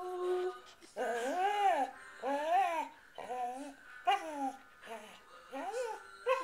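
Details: Evelyn, a six-year-old Samoyed, sings along with Amazing Grace, likely joined by Pearl, age two: a run of arched, wavering howls rising and falling, each about a second long, with a faint steady musical tone underneath.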